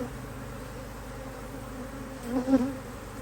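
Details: Honey bees working strongly at a HiveIQ beehive, Australia, near mid-autumn 2023, while the hive is opened for an extra box. Faint steady hum, then a louder buzzing bee passes close near the end.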